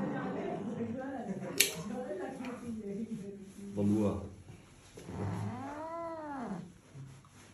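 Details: Angry cat with human talking over the first part; low grumbling sounds lead into one clear arching yowl that rises and drops before trailing off.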